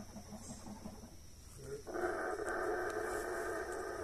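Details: Howler monkeys, or saraguatos, in the forest in Mexico: soft rhythmic low grunts, then a sudden loud, sustained, rough roaring chorus that holds steady to the end.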